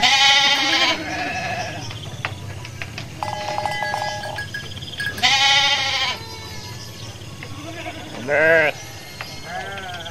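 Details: Hundreds of sheep in a flock walk leisurely toward their pen after a midday meal. Loud wavering bleats come at the start, near six seconds and near eight seconds, over a steady background hum and faint sustained tones.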